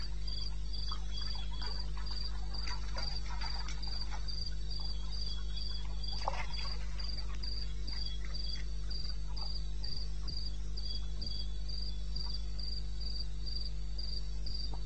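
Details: A cricket sings in the wilderness of eastern Botswana at 2:30 AM on 21 May 2016. Its shrill pulses run fast and nearly unbroken, forming an even trill over a steady low hum and soft rustling ticks.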